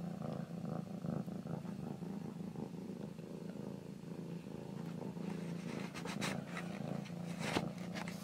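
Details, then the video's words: Domestic cat purring in an even, low rumble that holds throughout, with brief handling rustles and scratchy noises near the end. "my lil cat purring"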